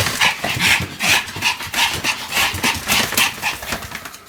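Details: A Pomeranian whirling around at high speed, about 175 spins, on 1 November 2015, makes rapid breathy yaps and pants, evenly pulsing about twice a second over constant scrabbling.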